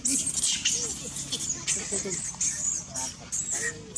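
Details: Monkey Julina crying hard after being bitten by another monkey, Jade: loud, high-pitched shrill screams in rapid bursts, some with lower arching wails beneath, over a steady low background rumble.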